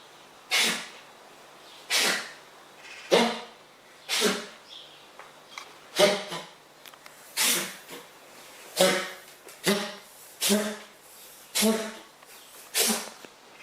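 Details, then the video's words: Frank, a wild fox, in a kitchen during a sneezing fit: a long run of about thirteen explosive, hissing sneezes, roughly one a second, each a short broadband burst, in a quiet indoor room. "WILD FOX (FRANK) HAS SNEEZING FIT IN MY KITCHEN"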